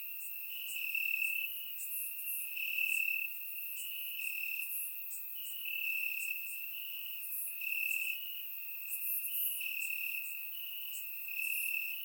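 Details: Crickets chirping in grass at night on a warm summer night in Bulgaria, recorded with a surround microphone: a steady high trilling band with louder pulsing bursts about every second and a half, plus fainter higher insect chirps above.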